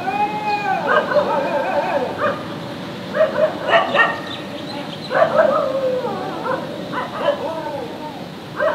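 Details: Angry German shepherd puppy barking loudly in the street: tonal, yelping barks and whine-like rising and falling calls in bursts, with louder clusters around the third, fifth and seventh seconds; faint voices underneath.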